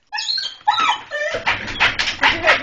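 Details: Husky and another dog at a house, excited while poking their heads through a cat door to greet a returning person: high wavering whines and yips, overlapped by a person calling out.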